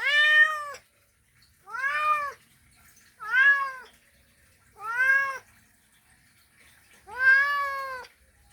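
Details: Male domestic cat calling a female, a mating call: five loud, drawn-out harmonic meows, each rising then falling, spaced about every one and a half seconds with quiet gaps between.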